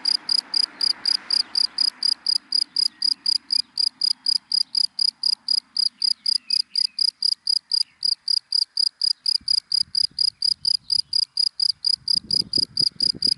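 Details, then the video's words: Cricket chirping in dry grass during the day, crisp high pulses repeated at a fast steady rate, with a faint hum early on and low scattered rumbles toward the end. "Sound of Cricket in Dry Grass in the Daytime"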